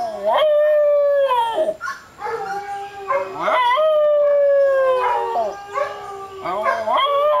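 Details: Tibetan Terrier singing indoors: a series of drawn-out tonal howls, each sliding and wavering, some rising then falling, about five howl phrases across the clip with rich harmonics and short breaths between.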